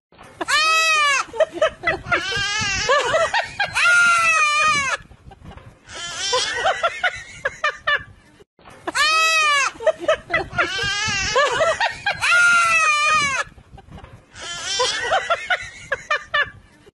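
Loud, wavering goat bleats in quick bursts, with a quivering, almost crying quality.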